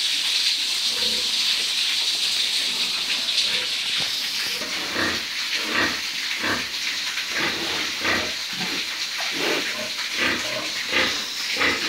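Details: Breeding pigs on a farm, giving short rough grunts in irregular bursts, thicker in the second half, over a steady loud hiss like fans or running water.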